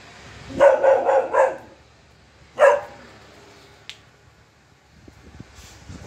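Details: A Saint Bernard puppy, barking after seeing a monkey, gives a quick run of four barks, then one more after a pause; Saint Bernard.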